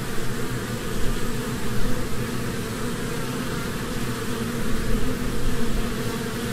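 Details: Continuous droning of honeybees at work among spring flowers, a thick low hum with faint steady tonal bands and slow rises in loudness around the second and fifth seconds.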